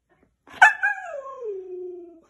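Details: Lively, hyperactive husky giving a short yip that flows into a howl gliding smoothly downward in pitch over more than a second and then holding low before stopping.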